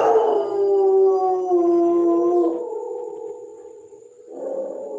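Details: Howl of a German Shepherd: a sustained harmonic wail gliding gently downward, then settling into a lower steady tone before a brief rise at the end.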